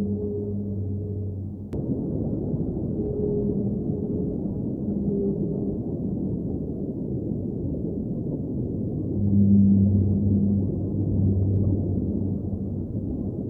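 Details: Underwater whale singing in several phrases: low moaning tones with higher harmonics come and go, with a louder, deeper swelling moan late in the clip, all over a steady rumbling undersea background.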